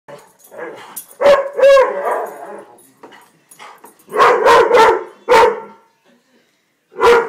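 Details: Weimaraner called Dexter, described as crazy, giving short, harsh barks near 1.2 and 1.7 seconds, then a quick run of four or five barks from about 4 to 5.5 seconds and a last single bark near 7 seconds; quiet gaps between bursts.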